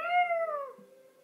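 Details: Hershey, a Yorkshire Terrier, howls at the monthly tornado siren warning. A short howl tail holds a clear tone, then sags downward and fades over about a second, with the siren's low tone continuing underneath.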